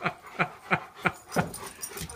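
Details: Leonbergers Uzi, a two-year-old male, and Elsa, an almost four-year-old female, playing off leash at their first meeting; five short, sharp yelps, roughly three per second, then a softer tail-off, with a person speaking just before and after.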